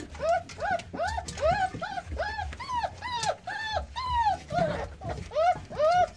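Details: American Staffordshire Terrier litter born 9-6-17: newborn pups squeal in a steady run of loud, bowed whimpers, about two per second, each cry swelling up then sliding down, over faint low rustling.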